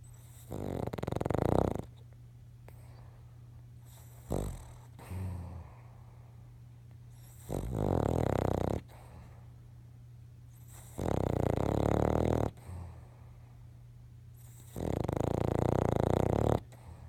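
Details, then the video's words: King Charles Spaniel asleep and dreaming, snoring in four long rasping breaths of about a second and a half each, spaced roughly every three to four seconds, over a steady low indoor hum. "King Charles dreaming and snoring"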